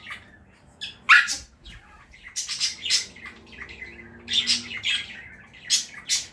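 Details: Chihuahua named London, a kennel graduate now living with a family in Saratov, yapping indoors in sharp, high, scattered barks, some doubled, with quiet gaps between bursts.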